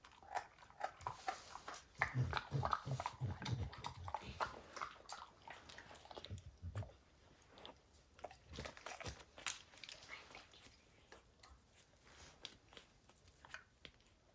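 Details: Max the dog intently chews a baseball until its hide is destroyed: dense, rapid crunching and snapping bites, loudest early with heavy low thumps, then lighter irregular clicks, indoors with no talking.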